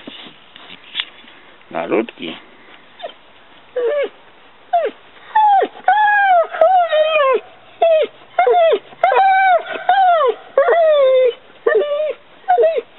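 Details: Maly the Mastiff whines persistently: clear, pitched cries that swoop up and drop, some drawn out and wavering, coming in runs roughly once a second, with a few soft noisy sounds near the start.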